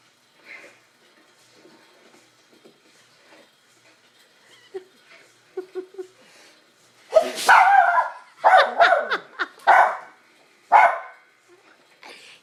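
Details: Pet dog barking at a man sneezing, a burst of sharp yelping barks in quick succession after a quiet start with faint earlier yips, amid laughter and talking.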